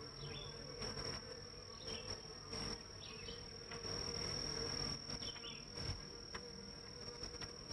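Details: Many honey bees flying around the hives at about 9am on July 23, 2023, in northern Kentucky, bringing in pollen. Their low droning buzz swells and fades, under a thin steady high whine and several short bird chirps.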